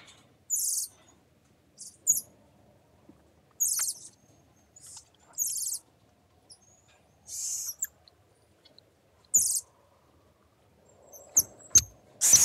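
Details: Golden marmosets chattering: very high-pitched, short squeaky bursts repeated irregularly about every one to two seconds, with faint thin whistles between them and a quiet background.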